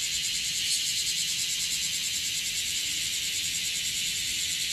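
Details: A dense, harsh, high-pitched chorus of bear cicadas (Cryptotympana facialis) in Okinawa, more numerous than the day before, pulses steadily without a break.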